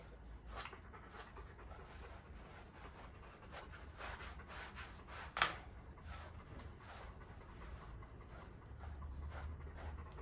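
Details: Golden Retriever panting during brushing. Soft, airy breaths come in uneven bursts, broken midway by a single sharp click, over a low background rumble.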